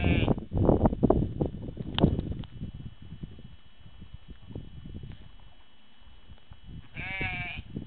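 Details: Sheep bleating: a harmonic, wavering bleat near the end, with a shorter one at the start, over heavy low rumbling and handling noise through the middle.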